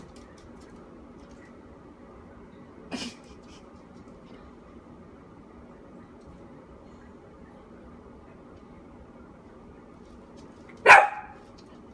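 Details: A quiet indoor room with a steady low hum, broken by two brief sharp knocks, one near the start and a louder one near the end.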